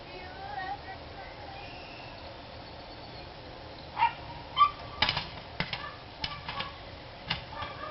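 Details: Barking dogs at a nearby house on 3-29-13, barking persisting after being yelled at to be quiet; a quiet stretch with a faint voice, then a loose run of sharp barks over the last three seconds against steady background hiss.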